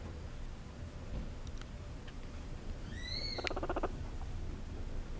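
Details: Two seven-week-old guinea pig sisters (Cavia porcellus) purr while being petted, a short burst of rapid, buzzy purring pulses with a few high excited squeaks.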